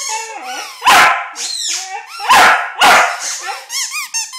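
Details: Puppy worked up over a squeaky ball, giving three loud barks between thin whining tones, with a run of short, high squeaks at the end.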